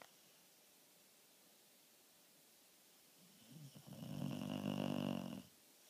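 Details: Sleeping dog snoring indoors: one drawn-out, rasping snore swelling in the second half, low and throaty with a rattling texture, then quiet room hiss.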